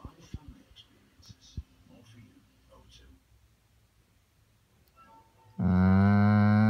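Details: A Weimaraner seeking attention "talks", breaking a quiet room with a loud, low, moaning whine likened to a pregnant cow.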